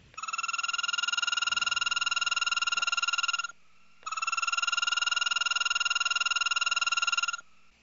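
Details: A male American toad in Iowa, singing from water in spring after hibernation to hold territory and attract a mate, gives a long, high, loud, steady musical trill, repeated twice.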